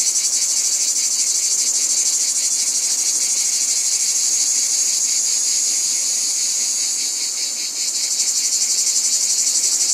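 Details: Chorus of cicadas producing a loud continuous high buzz with rapid rhythmic pulsing, briefly dipping in intensity near the end before resuming.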